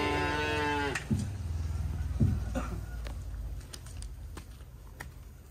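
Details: Cattle being unloaded from a truck: one drawn-out, harmonic moo in the first second, followed by heavy thuds and knocks of hooves and handling.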